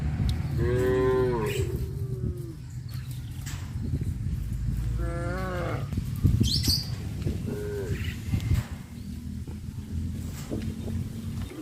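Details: Village farm cattle, tame and roaming by the highway, give three brief moos in about eight seconds, each a short descending tonal call, the last one softer, over continuous low-pitched background rumble and scattered faint chirps.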